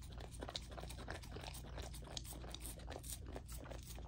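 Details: Lilo, a female golden retriever puppy fed a raw diet, crunching through a dinner of chicken drumstick, thigh and sockeye salmon; dense, rapid wet crunches and bites packed tightly together, with a steady low hum underneath.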